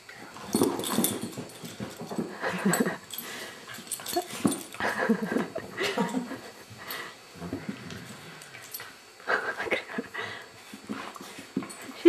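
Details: Abigail, a female foster beagle, indoors in a small room, making a series of breathy, wheezing snorts and huffing bursts in irregular clusters over about twelve seconds, with a little human speech in the background.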